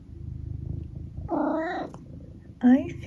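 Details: Eric, a pet cat indoors, purrs steadily for over a second, then gives a short rising-and-falling chirping mrrp and, after a pause, one brief bright trill, while people chat quietly about his mackerel dinner.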